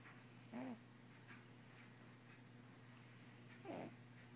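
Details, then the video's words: Sleeping Russian Blue cat snoring: two short, breathy snores about three seconds apart, each a soft rasping burst with a faint tonal core, over a steady low electrical hum and quiet room background. "the snoring Russian Blue"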